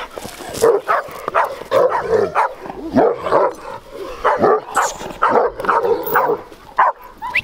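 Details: Large Bucovina Shepherd Dog, described as having a powerful temperament, filmed in 2021, barking in dense, rough, mid-pitched bursts several times a second, with a brief whine mixed in between barks.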